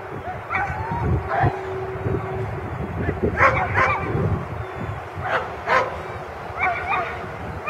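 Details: A German Shepherd barks in loud, irregular bursts, with a few higher yips between them, during exercise 4 of a 2015 protection-dog competition.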